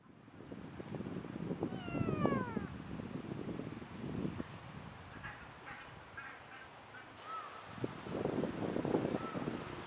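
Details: A ring-tailed lemur, possibly the weeks-old baby born March 14 that now rides on its mother's back, gives thin, cat-like mewing calls that arch downward over steady low rustling.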